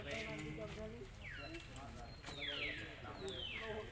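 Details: Baby monkey Lucie crying loudly and angrily after her mother rejected nursing, begging for milk; shrill high squealing cries sweep downward, about four in quick succession, over a low murmuring background with harmonic voice-like tones.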